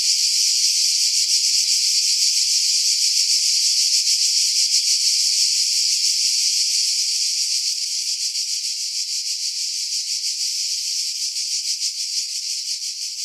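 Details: Cicadas singing in pine trees about 50 m above the sea at Pefkos Bay, Skiros Island, Greece, July 2018, recorded on a Sony RX3 with external mic: a dense, steady, high shrill buzz with fine rapid pulsing that eases slightly in loudness after eight seconds.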